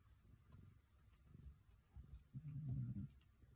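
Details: Sleeping Shetland Sheepdog whose snoring contrasts with its appearance: soft low grumbling pulses that build into one loud, rasping snore toward the end, deep and throaty, in a quiet room.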